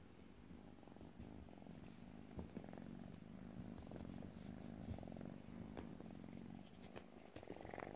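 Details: A young Burmilla or Asian kitten purrs, one of three vaccinated kittens looking for new homes. Continuous deep, even rumble pulsing with each breath, with light rustling and small clicks near the microphone.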